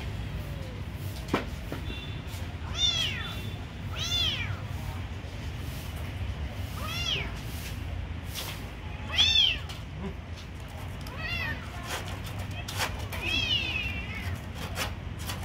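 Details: A kitten being given food gives about six high, arching meows, each rising then falling, spaced a second or two apart, over a steady low background rumble.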